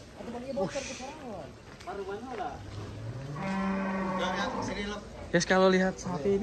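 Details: Belgian Blue cattle at a cattle contest at Bintang Tani Farm, Indonesia: after scattered voices, one long low moo rises in pitch and holds steady for about two seconds, followed by more talking.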